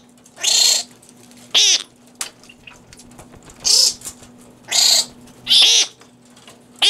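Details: Fruit bats munching romaine lettuce at the Organization for Bat Conservation, Cranbrook Institute of Science, Bloomfield Hills, Michigan, filmed in infrared; five harsh screeching squeals spaced about a second apart, with soft clicks and a low hum between.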